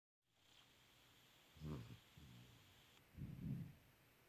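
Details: Sleeping puppy snoring loudly in a quiet room, cuddled up with his boy; low, rough snorts come in a few uneven bursts of breath, with near silence between them.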